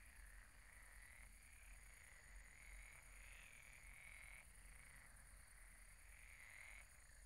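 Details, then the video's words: Many frogs croaking at night at a pond, a dense overlapping chorus of mid-pitched rattling croaks that swell and fade in waves of a few seconds, over a steady fine high-pitched pulsing buzz and low background rumble. "Relaxing sounds of croaking frogs at the pond"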